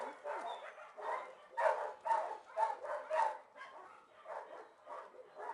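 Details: Several shelter dogs in their kennel give bursts of loud, rough barks. The barks cluster in a strong run around the middle, then fade to softer, spaced yaps.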